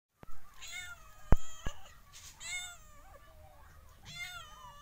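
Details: Cats and kittens meowing: three clear, drawn-out meows with rich harmonics that arch and slide, about one per second and a half, separated by sharp clicks and thumps in a quiet indoor setting.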